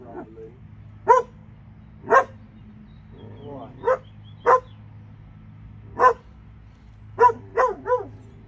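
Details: Barking from a pair of Alabama dogs: sharp, evenly spaced single barks roughly every second, ending in a quick cluster of three, over a steady low-pitched hum and faint talking.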